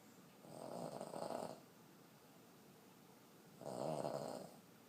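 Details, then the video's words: Sleeping elderly Boston Terrier, a 14-year-old female, snoring heavily indoors; two drawn-out raspy snores over a second each, separated by a quiet two-second gap. "Cutest elderly Boston terrier snoring so hard"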